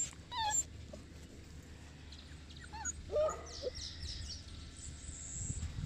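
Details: Boerboel named Enzo, kept at Mastiff Hub Egypt, lets out a few short, high whines, one early and a couple around the middle, separated by quiet stretches with faint background hiss.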